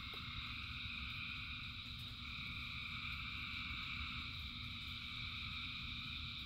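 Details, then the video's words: Frogs chorusing in the rain by the thousands, their calls merging into a continuous shimmering drone of several high bands, with rain hissing and rumbling underneath and a faint click near the start. "Frogs in Rain 2 Hours of Frogs, Thousands of Frogs Singing"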